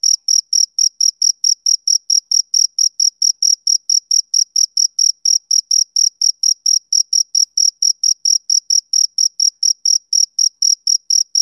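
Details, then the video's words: Summer evening chirping by a male cricket: a long, unbroken run of sharp, high pulses, about four each second, even in loudness and spacing, with no other noise. "Cricket Chirping Sound Effect"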